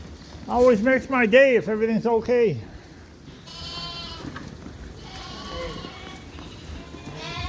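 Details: Suffolk lambs loose together in a barn after an open gate let their groups mix: a run of five loud wavering bleats in quick succession, each with a rising-falling quaver, followed by fainter, higher bleats from other lambs.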